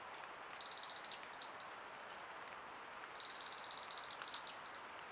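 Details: A stoat, one of a group caught on a camera trap in Yorkshire in summer 2018, gives two bursts of rapid, high squeaky chittering over a steady background hiss.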